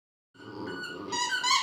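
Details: A Border Terrier playing with a squeaker "sings", giving a sustained, tonal howling note that swells louder and brighter toward the end.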